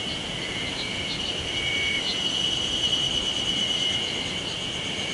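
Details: A steady, high buzzing drone on one shrill pitch, believed to be a cicada though the recorder asks for confirmation, surprisingly early on 26 May 2019 in Sawauchi, Nishiwaga, Iwate, Japan.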